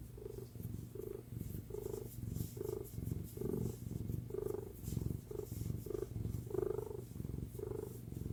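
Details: Cat on its mother's lap giving a continuous purr, a deep rumbling drone pulsing with each breath, roughly one surge per second, strong and even throughout.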